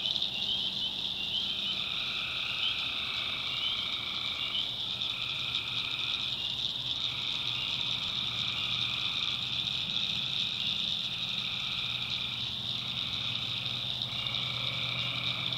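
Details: Night chorus of tree frogs in the backwoods of North Carolina: constant high-pitched ringing drone with repeated two-toned buzzing trills, each lasting one to three seconds and separated by short gaps, over a soft low hum.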